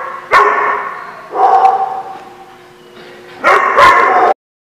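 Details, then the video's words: Dog barking at a boarding lot on 11 January 2016; three loud, rough barks at irregular gaps, the middle one lower and drawn out, then an abrupt stop. "The Barking Lot"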